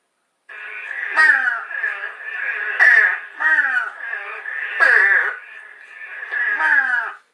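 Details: Eastern spadefoot (Scaphiopus holbrookii) on Long Island gives short, hoarse, downward-slurred calls likened to a baby crow; an uncommon species there.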